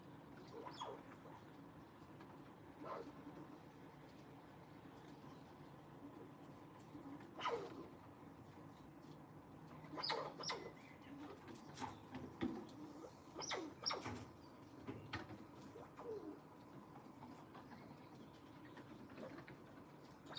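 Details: Wild squirrels that visit daily, communicating with one another and seemingly asking for more seeds, give short, sharp squeaky chirps in scattered bursts over a steady low background hum.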